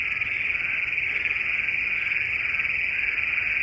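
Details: Bullfrogs singing at night under the moon in Western Kansas, a dense chorus heard while out walking dogs, a steady high-pitched trilling that never breaks.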